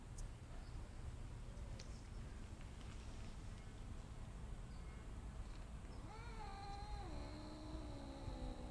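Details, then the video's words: Mother cat with her kittens lets out a drawn-out, tonal meow that slides downward in steps near the end, heard over steady low rumbling background noise. "Mother Cat makes sounds"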